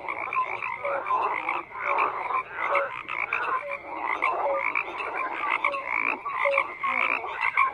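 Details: A crowded frog chorus of overlapping croaks: pulsing rasps and short tonal blips repeat continuously, rising and falling in waves roughly every second.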